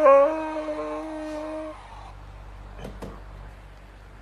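A Siberian Husky lets out a brief howl, a smooth, rich tone that starts a little higher, then holds level for under two seconds. After it fades, a quiet room remains with a couple of sharp clicks.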